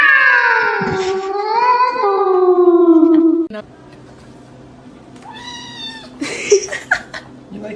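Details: Domestic cat giving a long, drawn-out, wavering meow that slides downward in pitch for about three seconds, then shorter rising meows, amid people talking, laughter and screaming indoors.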